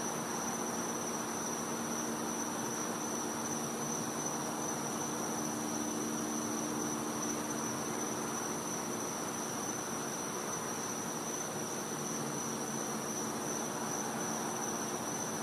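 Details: Back-yard night ambience from Florida in winter: a cicada holds an unwavering high-pitched continuous call across the whole recording, with constant hiss and a low faint hum underneath.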